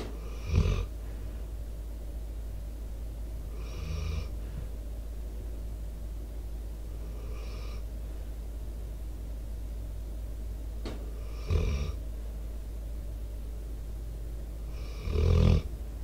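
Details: A sleeping Pitbull, Debo, four years old, recorded by microphone with outdoor sounds. Five rough, rattling snoring breaths come at a slow, steady pace about every three to four seconds, with one sharp click between them.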